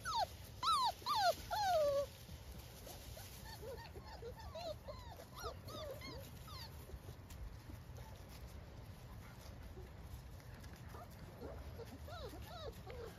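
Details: Hovawart puppies playing outdoors with mother Adie among woodland leaves, 30 October 2024, before feeding; a loud burst of sliding whines at first, then many fainter overlapping yelps and whimpers over rustling ground noise.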